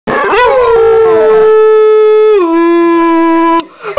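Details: Six-year-old female pit bull and foxhound mix howling on cue while missing her owner's mother; one long sustained howl with rich harmonics, holding steady then dropping to a lower pitch midway before breaking off near the end.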